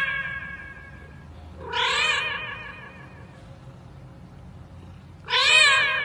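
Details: Cats meowing into karaoke microphones: two loud, bright, strained meows about three and a half seconds apart, each rising sharply then trailing off, over a low hum.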